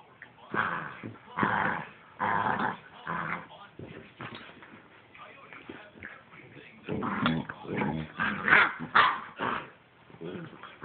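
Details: Rough play between Aspen the Husky and biting, high-energy puppy Gracen, seven weeks old: a run of growling bursts about a second apart, a lull, then a denser flurry of growls and yips, with a person scolding no.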